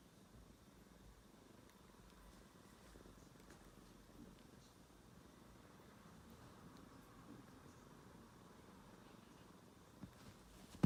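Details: Domestic cat purring indoors: a soft, steady low rumble runs unbroken for about eleven seconds, with a brief sharp knock at the very end.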